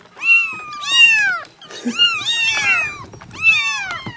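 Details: Several kittens mewing, sounds said to make a cat come and cuddle: long, overlapping high cries that bend down at the end, forming a nearly continuous chorus in three bursts.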